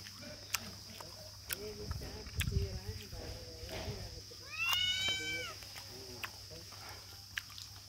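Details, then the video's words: Tiny kittens mewing in a series of short, soft, arched cries, then a louder rising-falling meow midway, with a steady high electronic whine and occasional clicks in the background. "Bahut hi cute Hain Ye billi ke bachche"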